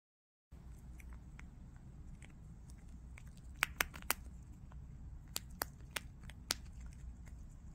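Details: Pet prairie dog at home eating snacks while lying down: sharp dry crunching clicks, scattered irregularly and clustering in bursts of several rapid snaps, over a low steady indoor hum in a small quiet room.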